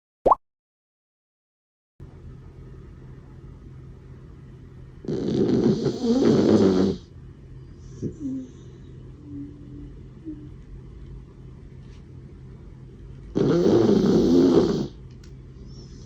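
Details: Kokomaro, a 16-year-old senior Doxiepoo fighting stomach cancer, snores while asleep indoors: two long, rasping, breathy snores about eight seconds apart over a low steady hum, with a short added chime at the start.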